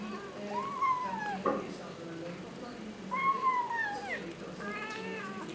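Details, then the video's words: Young kitten eating fish and rice for its first time, giving two drawn-out, falling meows about two seconds apart, then a briefer cry, with a low constant hum underneath. "The kitten eats and meow simultaneously."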